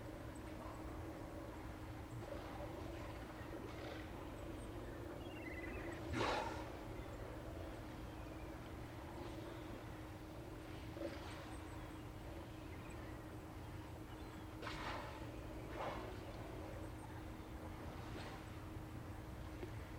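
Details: Steller sea lions at Sea Lion Beach, filmed by the OrcaLab remote camera on Hanson Island in Johnstone Strait, British Columbia, late afternoon of 18 September 2018. Occasional short, harsh roaring bursts rise above steady low rumbling background noise.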